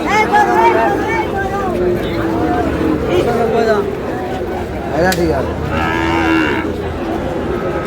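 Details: Sahiwal cattle at a busy Chittagong cattle market in Bangladesh, 5 June: repeated overlapping moos and lows over crowd chatter, with a sharp clack midway.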